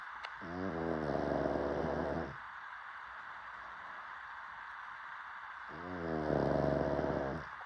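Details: Sleeping pug snoring: two long, low, rasping snores with a buzzy harmonic rattle, each about two seconds, separated by roughly three and a half seconds of quiet breathing.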